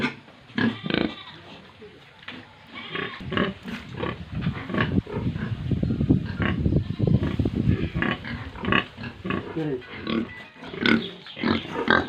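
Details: Tripura farm pigs and piglets: low, rumbling grunts build into a continuous mass of snorting from several animals, with sharper single oinks breaking through at intervals.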